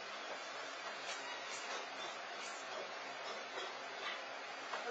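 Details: Steady broadband hiss, like a running fan or dryer, fills the recording with no animal sound.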